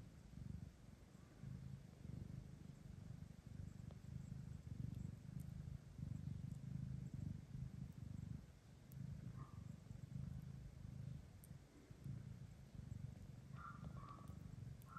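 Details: Long stretch of low, throbbing cat purring rising and falling in waves, with a few faint high squeaks near the end; lactating mother cat Kira with kittens, including two blind orphaned brothers brought for adoption.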